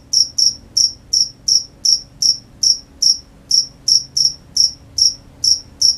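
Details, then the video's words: Cricket chirps at night, clear high-pitched strokes at a slightly slower pace of under three per second, each with a short ringing tail, over quiet low hum. "The sound of crickets at night"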